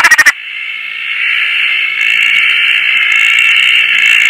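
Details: Roth's tree frog at night in Koah after rain, one of two frogs on a tarp in lush surroundings; opens with four rapid, loud rasping pulses, followed by a steady, high-pitched background chorus droning throughout.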